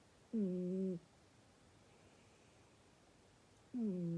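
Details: A snoring cat gives two low, nasal whistling tones with overtones, each about half a second long and slightly falling, about three seconds apart, in a quiet room.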